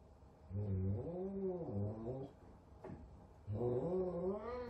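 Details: F2 Savannah cat, large and frightened by a small kitten at their first meeting (Sabian and Sabina), gives wavering harmonic yowls indoors, a long moaning call, a short click, then another rising yowl.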